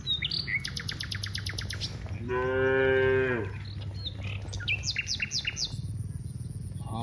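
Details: Cows, part of a herd of dozens walking from the rice fields to the village. One drawn-out, harmonic moo of about one second. Lively bird chirps and trills come before and after it over a low rumbling background.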